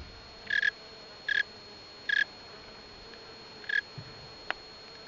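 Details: Tree cricket chirping: brief, clear pulsed chirps at a steady pitch, four bursts spaced under a second apart, over a faint steady hum, with a single sharp click near the end.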